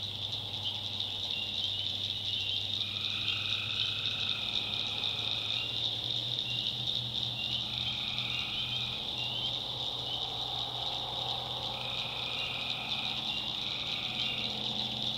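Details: A nighttime chorus of tree frogs from a North Carolina backwoods swamp. A continuous shrill trill carries throughout, and shorter mid-pitched calls of about a second come in and out in staggered bursts over a faint low hum.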